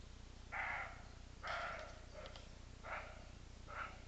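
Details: Roe deer barking: four hoarse, broadband barks spaced roughly a second apart, the second loudest and longest, over a steady low background hum.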